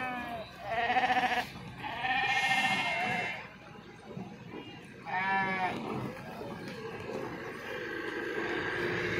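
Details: Several sheep being unloaded at the Pebbair sheep market give loud, wavering bleats over one another, with people chattering in the background.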